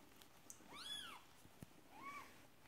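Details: Marley, a Persian cat, giving birth to her second kitten indoors: two high, arching meows, the first longer and stronger, the second shorter a second later, with faint clicks and soft shuffling between.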